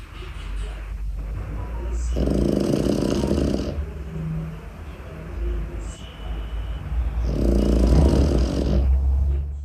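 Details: Boston Terrier puppy named Tyson snoring while asleep away from his cot: two long, rasping, noisy breaths roughly five seconds apart, each lasting over a second, above a steady low rumbling hum.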